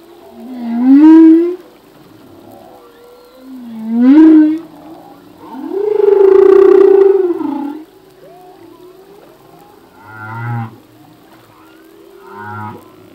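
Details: Male humpback whale song, its phrases changing each year: two upswept rising moans, then a long arching harmonic cry, followed by two short low pulsed grunts with buzzy overtones, repeating in a phrased sequence.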